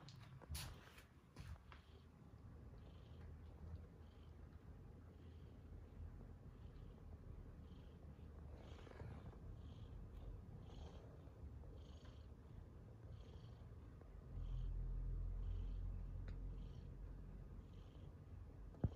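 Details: A cat purrs in a low continuous drone with rhythmic breathing pulses, quiet throughout, then a slightly louder stretch of rumbling toward the end.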